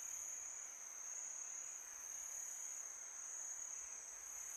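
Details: Crickets calling at night in summer give a sustained, thin, very high ringing trill that never pauses, set against a quiet wash of wind-like background hiss.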